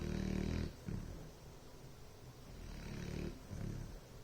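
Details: Bloodhound snoring: a deep, rumbling low snore with a harmonic buzz that fades into a quiet pause, then softer breathy rasps return, two or three snore phases within a few seconds indoors.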